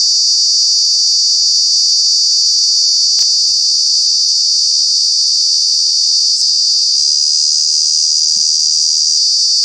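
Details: True bug cicada producing its very loud summer noise in Kanha National Park, India: a steady piercing high buzz with a couple of faint clicks and soft low thumps beneath.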